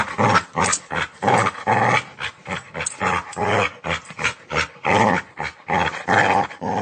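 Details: Snarling dog giving a string of short, rasping growls, each under half a second, separated by quick breathy pauses, rough and throaty throughout.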